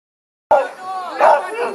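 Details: Huskies at Arctic Husky Farm, Pyhätunturi, Finnish Lapland, ready to go on a 10 km winter sleigh ride; an abrupt sharp bark, then overlapping yelps and excited howling calls.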